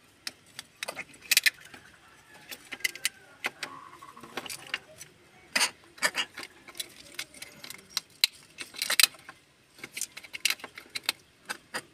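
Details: Sharp clicks, rustles and jangling handling noises with faint background hum, and no animal voice.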